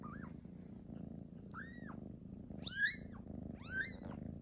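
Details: Newborn kittens meeting their older brother and sisters: four high, thin arching mews, each rising and falling, coming roughly once a second, over a steady low purr-like rumble in the background.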